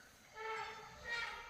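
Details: An Asian elephant trumpets at night in Bandipur Forest, a brassy, sustained blare that swells twice; observers were unsure whether it was a wild or captive elephant, with one seen standing near the road.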